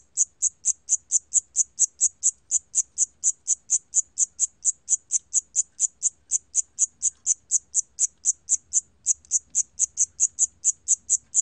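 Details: Steady high-pitched cricket chirps, about four per second, repeating evenly with only a brief break in the rhythm, from a 2020 National Institute of Biological Resources recording; quiet background.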